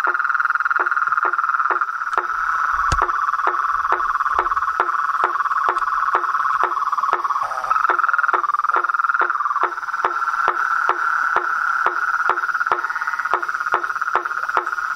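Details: Toads, frogs and tree frogs calling in nature: a steady dense chorus hum holds through, cut by sharp short knocking calls repeated roughly every half second, with a brief low thump near the start.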